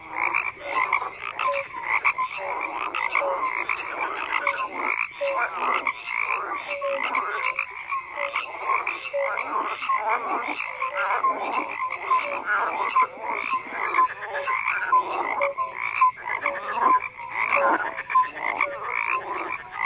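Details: Many frogs croak at once in a thick, continuous chorus: raspy pulsed notes stack over each other while brief clear tonal blips recur every second or so.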